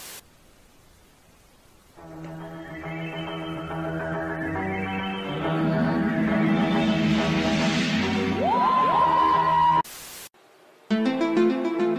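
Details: Eerie synthesized music swells with sustained tones and a gliding high note, then breaks off into a short bright melodic passage.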